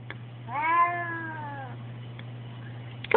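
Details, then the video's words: An indoor tomcat, upset at being inside near a window, gives a plaintive, sustained meow that rises, then falls gently and fades after about a second. A faint mechanical hum runs throughout, and a brief clatter comes at the end. "Crying Cat"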